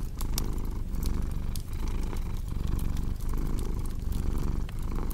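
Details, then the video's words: Domestic cat purring steadily, a deep low rumble that swells and fades with each breath roughly every half second, overlaid by sharp pops and snaps of a crackling fireplace. "Purring Cat"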